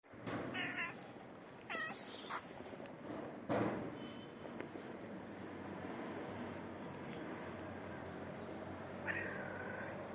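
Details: Mother cat that has lost one of her kittens meows for attention: a few short harmonic meows early on, a sharper cry near four seconds, and a rising then level mew near the end, over steady background noise.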